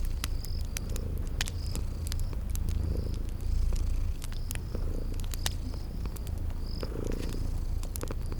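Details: Sleeping kittens purr steadily in a low rumble that swells in slow pulses, mixed with the crackle of a fireplace and short high chirps repeating about once a second in a spring garden ambience.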